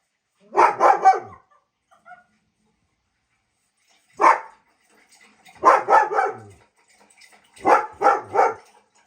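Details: German Shepherd; bark; reacting to sounds of other dogs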